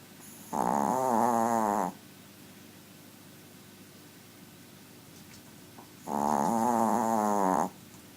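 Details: Tiny pet dog snoring very loud; two long, harsh rattling inhalations about five seconds apart, each roughly one and a half seconds, rich in buzzy harmonics, with near silence between them in a small room.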